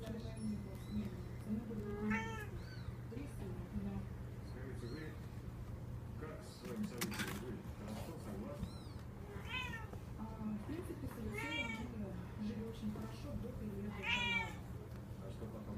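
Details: Six-week-old Devon Rex kittens give high, thin meows, repeated several times over a steady low hum; Devon Rex cat.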